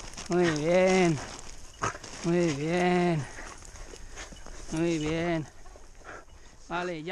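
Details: A Podenco hunting in brambles on a shotgun hunt gives drawn-out, harmonic baying barks, each arching in pitch, roughly every two seconds.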